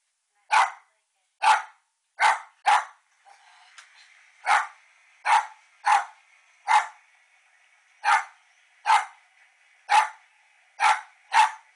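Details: Female West Highland White Terrier barking at her own reflection: about thirteen sharp, bright barks in short bursts over twelve seconds, some paired closely, with a faint steady hum between them.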